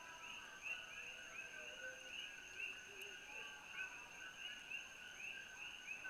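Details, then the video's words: Evening chorus of coqui frogs over Kona, Hawaii, viewed from Holualoa: many overlapping short rising chirps repeated throughout, layered on a steady high insect hum, with faint low background noise. "Sounds of Koki Frogs"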